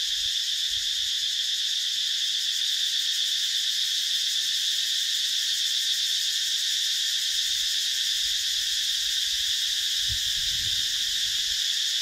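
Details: Cicadas (identity uncertain) buzz in a steady, high, shimmering chorus that drones without a break at a seasonal waterhole (trapeang) in dry deciduous forest during the dry season, Mondulkiri Protected Forest, Cambodia.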